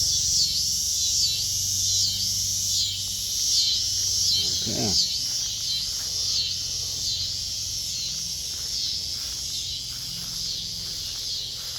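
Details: Backyard cicadas singing near kittens, a steady high pulsing buzz chorus; a brief sliding squeak interrupts midway and a person talks quietly in the background.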